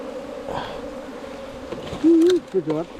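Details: Bees in a nest within a 4-metre bamboo length hum in a low, level drone. A brief human voice cuts in near the end.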